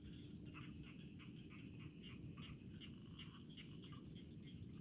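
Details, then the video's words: Cricket in rice fields, countryside setting, giving a shrill high chirping in fast regular pulses grouped into bursts with brief gaps, fainter insect sounds below and low steady background rumble. "SUARA JANGKRIK DI PESAWAHAN"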